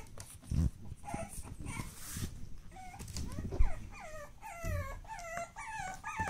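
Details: Pug puppies from one litter, born 10 August 2015, whining almost nonstop: repeated high, wavering whimpers, some rising then falling, overlapping one another, with thumps and rustling from handling underneath.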